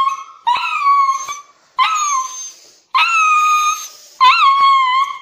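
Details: Dog crying while being taken for an injection; four long, wavering howl-like cries with rich overtones, each about a second long, separated by brief silences, in a quiet room.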